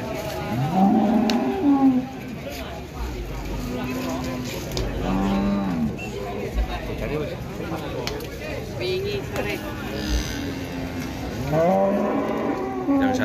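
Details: Jumbo Limousin cattle at a livestock farm in Ampel, Boyolali, Central Java, on the slopes of Mount Merbabu. Several deep, drawn-out moos rise and fall among steady crowd chatter and men talking nearby.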